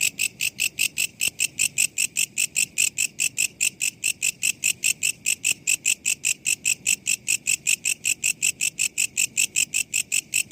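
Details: Katydid, known locally as walang kecek, recorded as master audio for training songbirds: a steady train of sharp, buzzy high clicks, about two and a half per second, roughly twenty-six pulses, with a faint low background hiss.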